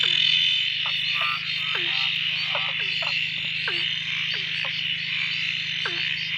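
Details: Frogs singing at a dam near Drake after a few days of steady rain ended their silence; repeated short downward-sweeping croaks and brief trills several times a second over a continuous shrill background chorus and low hum.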